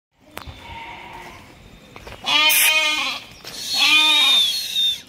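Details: A goat kid offered for sale at a farm in Kadayanallur, Tenkasi District, gives two loud, quavering bleats with rich harmonics, the second longer and wavering, after a quieter opening sound.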